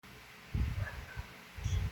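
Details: French Bulldog snoring, said to sound like a human: two loud, rough, low rumbling snore bursts separated by a quieter breath, with faint background hiss.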